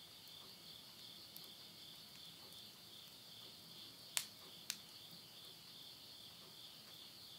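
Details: At midnight in rural Yurihama, Tottori, Japan, September 2020, insects keep up a steady high-pitched shimmering chorus; two loud sharp cracks of burning wood from a stove fire and lighter crackling punctuate it.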